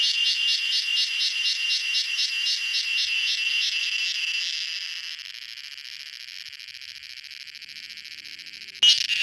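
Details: Garden cicada at dusk: pulsed shrill buzzing that fades after about five seconds into a thin steady hiss, ending with a brief sharp knock.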